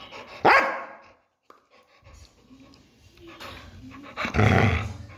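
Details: Labrador Retriever giving a sharp bark followed by a quiet stretch, then a rough growling bark burst at the end.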